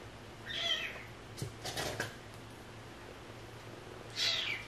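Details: Two high, thin meows from a rescued stray cat family, spaced about three and a half seconds apart, with soft handling clicks and rustles between them over a low steady hum.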